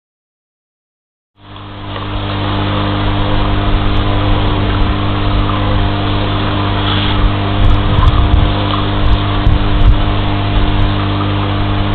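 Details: A low, steady engine drone with a constant hum starts after a brief silence and runs to the end. No animal calls stand out.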